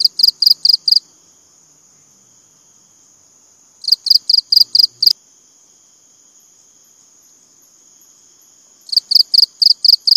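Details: Regular bouts of high, pulsing cricket chirps, about six to eight pulses per bout, repeating roughly every four seconds with silence between and a faint steady high hum.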